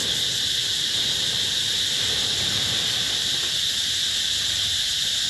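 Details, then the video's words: Summer cicada chorus at Mỹ Luôn eco-tourism area in 2021, a continuous shrill, hissing drone of many insects at constant loudness, with no pauses and only a soft low background murmur. "tiếng ve gọi hè"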